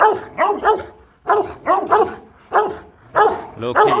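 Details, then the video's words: Rottweiler barking aggressively to threaten another dog: loud, harsh barks fired in rapid clusters of two to four, separated by brief pauses, with no other sounds. "Chó sủa dọa chó: Tiếng sủa uy lực khi Rottweiler hung dữ| Dog barking strongly"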